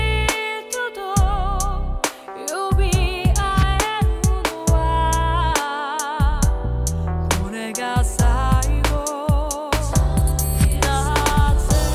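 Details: Soulful rhythm-and-blues music with sung vocals, a steady beat and a strong bass line fills the whole recording, with no animal sound heard.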